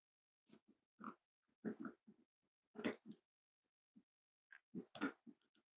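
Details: Snuggling Cavalier King Charles Spaniel puppies indoors on a warm Friday morning, kept as emotional support animals; soft low grunts and little whimpering squeaks in irregular clusters, with brief noisy snuffles between.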